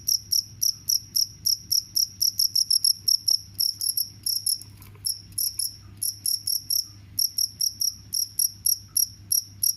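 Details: Shrill, high-pitched cricket chirps, presented as a sound that repels mice, come in rapid pulsed bursts with uneven gaps and one short break near the middle. A soft low hum runs underneath.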